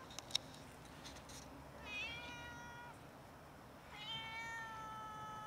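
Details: Cats begging for food and meowing loudly until fed: two drawn-out, clearly tonal meows about two seconds apart, each opening with a sliding start then holding steady, preceded by a few soft clicks.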